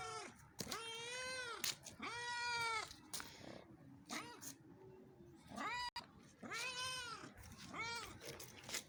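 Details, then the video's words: Cats in Pakistan meowing: repeated drawn-out, harmonic-rich meows rising then falling, about four clear calls over nine seconds with short gaps and some faint background clatter between them. "Pakistani Cats Meowing"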